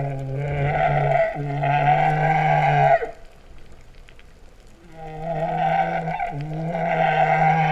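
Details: Humpback whale song recorded underwater near Vava'u, Kingdom of Tonga, September 2015, likened to mooing cattle: two sustained, buzzy low moans with strong harmonics, separated by about two seconds of quieter water noise.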